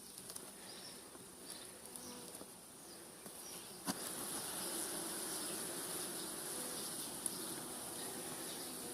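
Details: Honey bee colony during hive expansion with wax foundation, a super about to be placed on top. A continuous dense buzzing drone swells slightly after a sharp click near four seconds and then holds steady.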